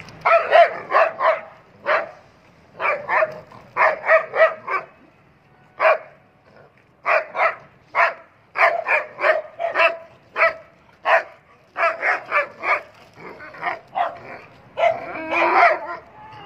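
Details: German Shepherd dog, one of several single, double, medium and long coat dogs offered in Peshawar, barking loudly in quick bursts of two to four sharp barks with short pauses, roughly thirty barks over sixteen seconds against a quiet background.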